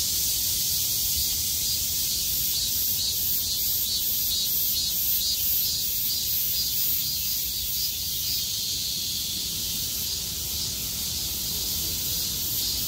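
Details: Cicadas singing after the rain ended, 6 August 2020; high, hissing chorus with a pulsing throb of about two beats per second in the top range, loudness easing slightly toward the end.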